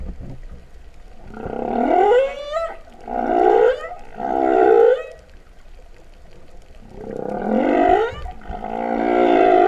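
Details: Humpback whale song heard underwater at Vava'u, Kingdom of Tonga, in September 2015, compared to cows mooing. Five upswept, wailing moans arrive in two bursts, each rising sharply and then trailing off, separated by a short quiet gap.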